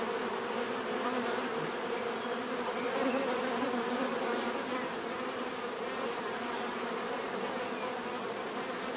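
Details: Many bees buzz continuously, a thick even drone layered with wavering hum tones, with no pauses and no other animal sounds.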